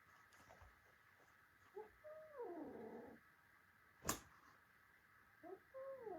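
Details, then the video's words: A little domestic kitten fighting with its adult brothers: two drawn-out, wavering yowls, the first sliding downward over about a second, the second shorter near the end, with a sharp knock in between. "My little cat fights with his adult brothers"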